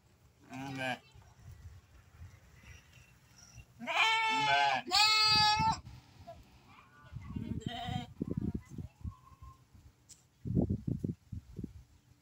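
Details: Santa Inês lambs of pure breed, raised for sale; a brief bleat, then two loud wavering bleats in quick succession midway, with intermittent low thumping and rustling noise and a short bleat near the end.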